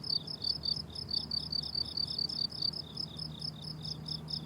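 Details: Crickets on a blooming summer meadow: high, bright chirps pulsing rapidly and evenly, several per second, over a soft low hum.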